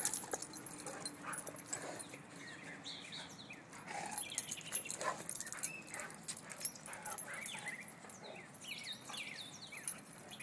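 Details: Whining from a pit bull girl and a mastiff named Chase at play, new friends he does not want to see leave; repeated high, wavering whimpers and short yips, some sliding upward, with low room noise beneath.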